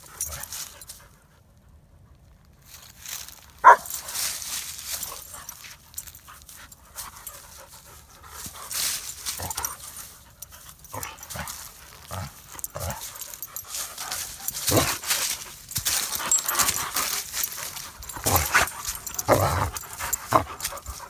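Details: German Shepherd named Odin, filmed outdoors alongside a boxer named Samson, panting in a steady run of soft, breathy, hissing bursts after a near-silent opening, with one sharp click early on.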